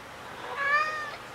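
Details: Indoor meow from a black cat grieving a recently deceased companion cat, filmed 7 August 2018 with a FUJIFILM X-T10: a single short, clear, slightly rising-then-falling cry with bright harmonics and little background noise.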